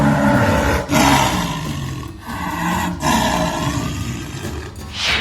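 A jaguar roars in deep, rasping bursts, each broken off by a brief pause.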